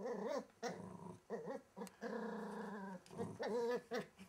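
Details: Wild little Welsh Terrier pup under the wardrobe growling in wavering, whine-like tones, one long drawn-out rumble in the middle between shorter bursts.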